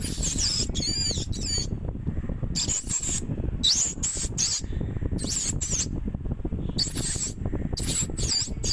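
A meerkat calls in short, shrill bursts of high, squeaky chirps, some bending upward, repeated in quick clusters. A constant low rumble of wind or handling noise runs underneath throughout.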